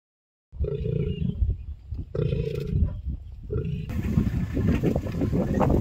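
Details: A lion (Panthera leo) in Manyeleti game reserve, South Africa, gives deep, rumbling growls and roars in short bursts, with a hiss of background noise.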